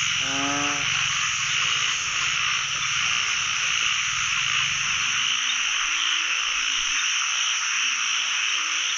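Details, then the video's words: Narrow-mouthed frogs in a pond, out during the year's first frog-catching trip, a chorus filling the pond: a harmonic croak at the start, then scattered lower croaks over a dense, steady insect-like hiss. "จับอึ่งครั้งแรกของปี ร้องเต็มสระเลย"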